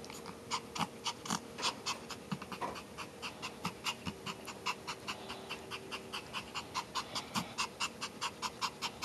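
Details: Close panting from a Pomeranian, a fast run of breathy huffs that is slightly uneven in pace, with a low steady hum in the background.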